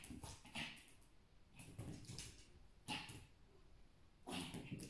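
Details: A small Pomeranian fights fiercely with a mosquito, giving rough, noisy yaps and huffs in clustered bursts about every second, some softer and some sharper, against a quiet background.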